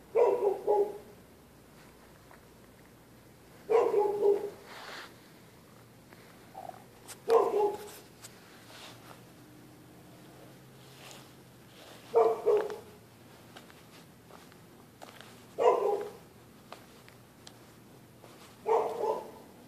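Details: Neighbourhood dogs barking through the night whenever anyone walks the public sidewalk on either side of the street; six loud, short barks at uneven intervals of about three to four seconds, with faint low hum between them.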